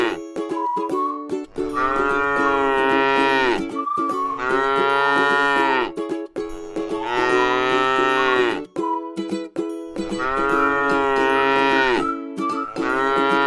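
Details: Tame cattle resting in a scenic rice field moo repeatedly: long droning, harmonic lows lasting about two seconds each, five in a row with brief gaps, while plucked string music plays continuously underneath.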